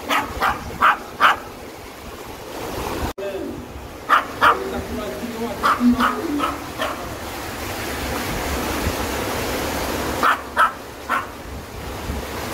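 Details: Dubu, a ten-year-old Maltese recovering at home from cruciate ligament and spay surgery, visits Buryeong Valley in Uljin, South Korea, for a stream outing. Sharp barks come in quick pairs and triplets, separated by pauses, over steady rushing water and human voices.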